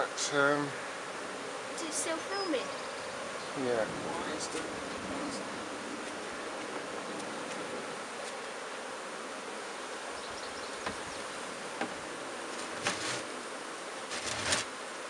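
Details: A freshly hived swarm of bees, put into an empty hive: a constant hum of many bees, with a voice at the beginning and scattered knocks and rustling from handling the hive.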